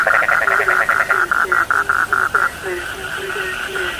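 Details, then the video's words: A rapid, pulsed frog trill dominates the first half, beat after beat, then stops, leaving low, falling croaks spaced about a third of a second apart over a steady hum. "The sound of frogs lulls sleep, 30 minutes you fall asleep soundly.( Suara katak Penghantar Tidur )"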